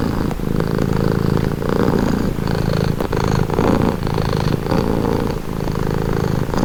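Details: Close, steady cat purr: a low buzzing rumble rising and falling with in-and-out breaths about every second or so, with a faint soft tick near three seconds.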